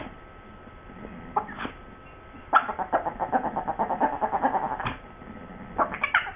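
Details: Dogs Sue Ellen and Siv arguing over a bone. Brief yelps open the clip, then a steady run of quick, pulsed, throaty grumbles for about two seconds, ending in another short yelp.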